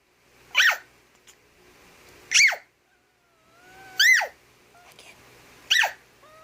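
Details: Domestic cat annoyed by a high-pitched noise while sleeping: four short, sharp, rising-then-falling cries spaced about 1.7 seconds apart, with a faint thin whistling tone drifting in between.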